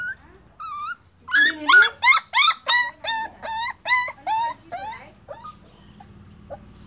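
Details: Puppy tied up at a rural home barks in an evenly paced series of about twelve sharp, high yelps, each sliding down in pitch, over a faint low background hum.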